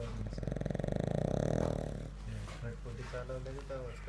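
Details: Pug dog snoring while asleep: a low, rattling, rapidly pulsed snore for about two seconds, followed by voices talking indoors.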